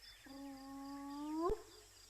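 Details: A hyena at Djuma in the early morning before sunrise on 10 January gives a single low, hollow whoop that holds steady, swings upward and cuts off abruptly, over a faint background hum.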